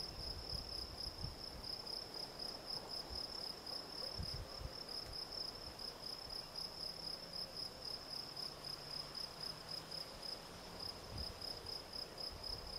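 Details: A field cricket, Gryllus campestris, chirps without pause, its shrill, ringing pulses following one another about three or four times a second throughout, with faint low rumbles and scattered thuds underneath.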